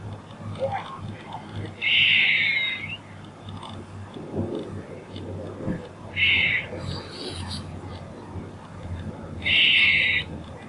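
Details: A squirrel repeats a rasping, buzzy call three times at intervals of about four seconds, each burst under a second long. A faint higher hiss follows the middle call. Steady low background noise.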